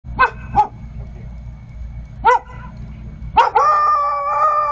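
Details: Vizsla puppy keeping watch, barking alone: a few short high yelping barks spaced apart, then a drawn-out, slightly wavering whine-like howl. There is a low steady hum underneath.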